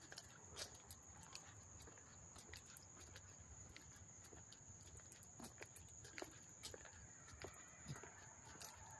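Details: Up-close cricket chirping recorded August 13, 2024 in Hastings-on-Hudson, NY; a continuous thin, high, even trill persists beneath scattered crackles, taps and rustles from nearby movement.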